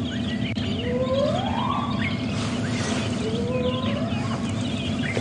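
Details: On a morning safari at Djuma Game Reserve on January 11, 2016, a female spotted hyena gives long, rising, high-pitched whooping contact calls, with birds chirping; her cubs react.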